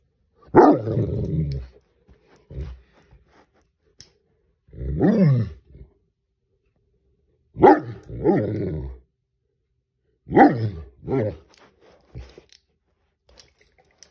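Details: Great Dane, a domestic dog, confronting a crayfish, barking in loud deep bursts with harsh harmonics: about five bark bouts over fourteen seconds, some single and some doubled, with quiet gaps between them.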